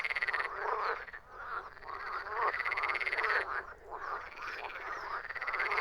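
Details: Frogs croaking together in a dense chorus: overlapping rattling, pulsed croaks form a continuous buzzing wall of sound that swells and dips, with a few brighter rising notes standing out.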